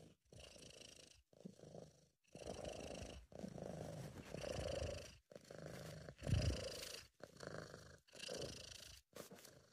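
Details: Sabu, a British Shorthair house cat, purring while relaxed and content, in an amateur recording: low rumbling purr in rhythmic bursts of about a second, each breath cycle separated by brief silent gaps.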